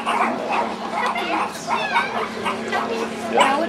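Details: A meerkat group gives sharp, repeated yelping-barking alarm calls from many members in quick succession as an ultralight plane passes overhead, an aerial threat alarm. Pups hide until the alarm calms, and people talk nearby.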